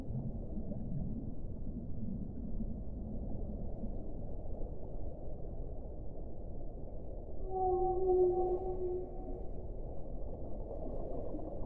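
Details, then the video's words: Underwater whale sound: a long low sea rumble, then a bright, level tone with stacked harmonics sounding for about two seconds near the end before fading back into the background hiss. "1 ora di suono delle balene"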